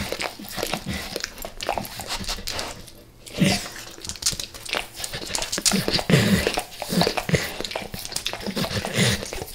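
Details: Max the dog devours natural peanut butter and peanut butter oil before leaving El Paso: dense, wet smacking and licking clicks, nearly continuous, with a short lull around three seconds before the lapping resumes.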